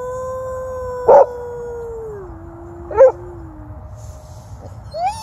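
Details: Australian Cattle Dog at a dog park howling after hearing distant coyotes, joined by its owner; a steady long tone that steps down and fades, broken by short sharp accents, then a brief rising note at the end.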